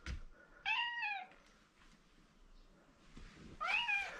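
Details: Mike, a pet cat who likes his owner, meowing indoors for attention: two clear, arched meows about three seconds apart, the second sharper and more nasal, with faint room rustle between.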